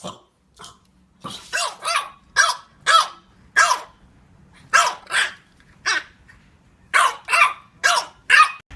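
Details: French Bulldog barking while playing: a run of short, fairly high, soft yaps in uneven bursts of two or three, about a dozen in all, over a faint low hum.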